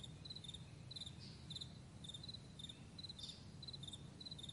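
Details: Morning chorus of crickets across a wide meadow: bursts of quick high pulses every half second or so, overlapping one another, with a steady low-pitched hum underneath.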